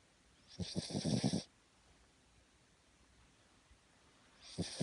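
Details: Cavalier King Charles Spaniel named Carrie napping on its owner's belly: a rattling, fluttering snore of rapid low pulses lasting about a second, then quiet breathing, with another snore beginning at the end.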